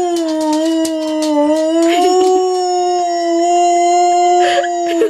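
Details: Female pet dog howling at a siren, holding one long sustained mid-pitched note for about five seconds with a slight waver and small dips in pitch, plus faint clicks and rustling.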